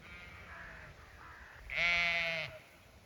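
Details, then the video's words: Zwartbles sheep bleating on a regenerative farm in County Kilkenny, Ireland: a faint distant bleat first, then a loud, nasal, wavering bleat lasting under a second, with background farm ambience. "Some sights & sounds of farm life. Dogs, cats, sheep & alpaca"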